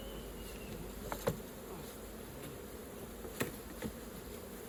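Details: Honey bees at an open hive during raw honey collecting, a soft steady low hum of many wings with a few sharp clicks and taps from hive work.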